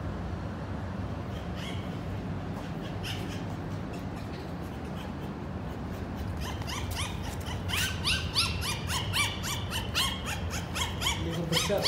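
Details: Young Golden Retriever puppies in Qatar: after several seconds of soft rustle, they break into a chorus of thin, quavering howls that slide downward and overlap, mixed with short yips.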